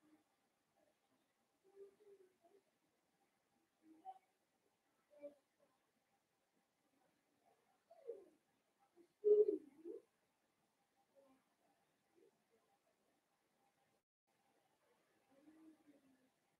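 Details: Blenheim Cavalier King Charles Spaniel puppies, a litter of five born on New Year's, playing with their mother Paris in an indoor puppy pen; scattered soft whines and squeaky grunts, a louder cluster of harmonic whimpers midway, long quiet gaps between.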